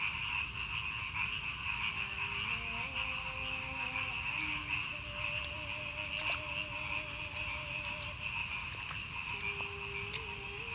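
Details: Frogs in rice fields outside Madiun, Indonesia, after a night of very heavy rain; steady high-pitched trilling chorus with softer croaks and long, level low tones drifting underneath.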